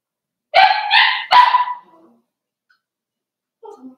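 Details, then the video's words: Indoors, a five-week-old Cavalier King Charles Spaniel puppy lets out three rapid harsh barks run together, then quiet, ending with faint little whimpers. "Cavalier King Charles Spaniel Puppies"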